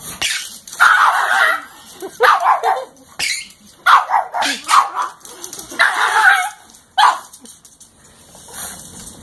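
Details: Pet pug barking and snarling at a person's feet, irritated by squeaking sneakers; short yappy barks come in bursts at irregular intervals, mixed with growly noises and some rustling.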